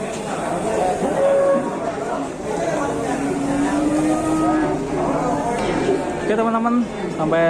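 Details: Big-legged cow likened to an elephant, being unloaded with other cattle: a long steady low moo holds for several seconds, then shorter rising calls follow, over people talking.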